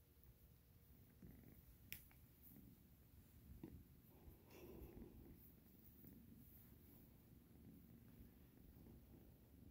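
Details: Cat purring indoors, a soft, low, continuous rumble with a few faint clicks and rustles over it.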